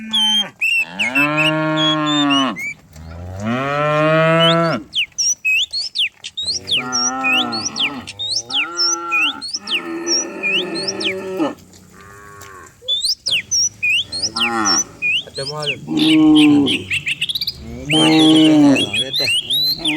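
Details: Many cows herded downhill each morning through open rural hills; a string of moos from several cows, rising and falling, some hoarse and drawn out, about every two seconds, with bird chirps scattered over them.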